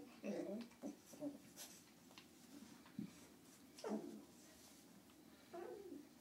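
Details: Two 9-week-old male Lhasa Apso puppies playing together give short, high yips and whimpers in scattered bursts.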